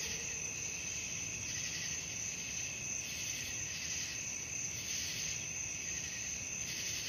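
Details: Crickets at night for restful listening: a bright, continuous trilling chorus that swells and eases in soft waves, with a brief faint lower tone early on and a quiet rumble beneath.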